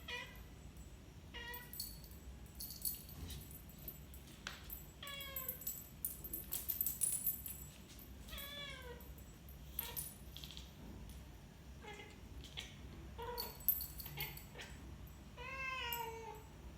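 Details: Pet cat chirping in a pattern likened to Morse code: short, bright, downward-sliding chirps, some stacked in quick clusters, recurring every one to three seconds over a low steady household hiss and occasional clicks.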